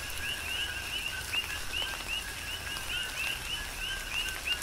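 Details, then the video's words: Rapid overlapping chirps from a group of coqui frogs in a Big Island, Hawaii rain shower, each note a quick rising whistle, repeated several times a second, over soft rain noise. "Tropical Rain & Coqui"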